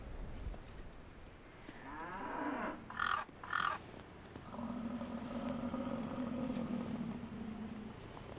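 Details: American (North American) bison in Canada give deep, drawn-out grunting roars, low and rough with a steady throaty drone.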